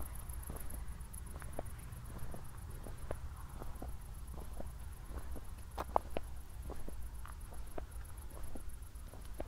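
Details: Nighttime crickets in Zwettl, Austria, soon after a thunderstorm, give a faint, high, steadily pulsed chirping beneath louder walking footsteps and a low rumbling hum.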